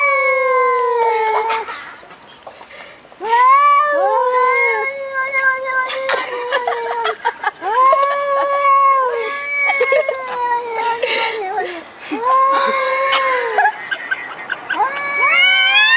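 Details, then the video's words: Pet cats caterwauling in a string of long, wavering, tonal meows that rise and fall and often bend upward at the end. Some calls overlap in rapid succession, with brief clicks and bumps between them. "Funny Cats Making Weirdest Noises"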